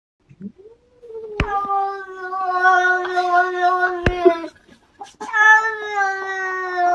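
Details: A domestic cat trying to catch a goldfish, drawn-out harmonic yowls: a long steady moan about three seconds, a brief pause, then a second rising, wavering wail, with a couple of sharp clicks or taps in between.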